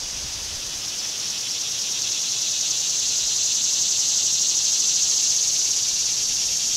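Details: A summer cicada buzz, shrill and unbroken, slowly swelling louder across the recording, finely pulsed throughout.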